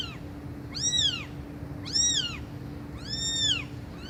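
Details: Cats meowing loudly: three rising-then-falling meows about a second apart, each with bright stacked overtones, plus clipped starts of others at the edges, over a steady low hum.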